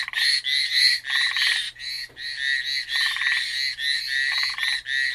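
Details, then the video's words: Dense chorus of frogs on Amami Island: overlapping bursts of harsh, rapid, high-pitched pulses in uneven waves, interspersed with lower buzzy pulse groups every second or so. "Frog call at Amami."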